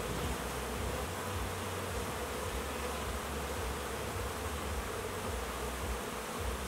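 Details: Honey bees in large numbers making orientation flights outside their hives after a big hatch, new foragers learning their home boxes; steady low droning hum throughout, a brief knock at the very end.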